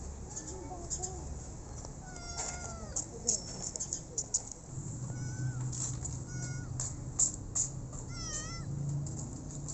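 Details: Rescued street kitten meowing repeatedly, thin high cries with rising then falling pitch, scattered among clicks, soft rustling and a low background rumble.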